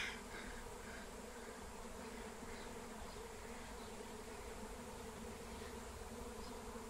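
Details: Massive wild honeybee swarm on the wing during capture with Melissa (lemon balm): an even, thick low hum with steady harmonic bands, unbroken for the whole stretch.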